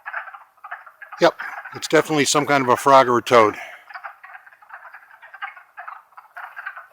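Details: Longkill Woods in April 2014, where a wood frog chorus clucks and croaks steadily in short overlapping bursts. Human speech breaks in loudly for a couple of seconds midway before the frogs continue alone.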